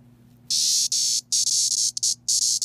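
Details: A single 17-year periodical cicada (Magicicada septendecim), from a recent local swarm, screaming whenever touched: loud, harsh, high buzzes in bursts of about a third of a second to half a second, broken by short gaps, over a faint low hum.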